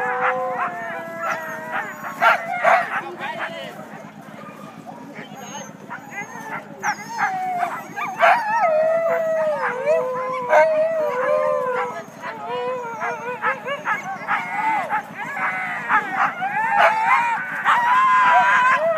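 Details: Team of Siberian huskies waiting just before the start of a sled dog race on February 9, north of Weed, California, in Klamath National Forest: a noisy chorus of overlapping wavering howls, yelps and sharp barks, with some human speech.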